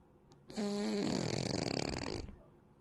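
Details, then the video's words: A domestic cat snoring: one harsh, rasping breath of about two seconds. It opens with a short tonal hum, then roughens into a broad, noisy rattle before fading. "진정 고양이의 코골이 인가?"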